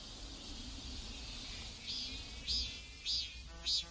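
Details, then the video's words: Neighborhood cicadas in South Korea: a high, hissing drone with loud rising pulses that repeat about every half second toward the end, over a low background rumble. "South Korean Neighborhood Sounds Cicadas"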